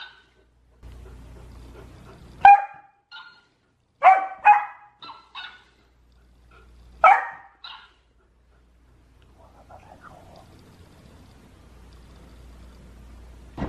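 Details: Golden Retriever indoors quarrelling with the family's hamster, things getting out of control; scattered single and double sharp barks every second or two for about eight seconds, then near quiet with a final bark at the end.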